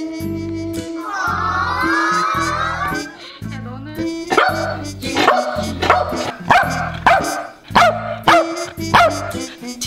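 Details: Welsh Corgi that keeps barking until it gets what it wants, even after being told not to bark. A long, wavering whine comes first, then sharp, irregular barks roughly once a second, all over steady background music.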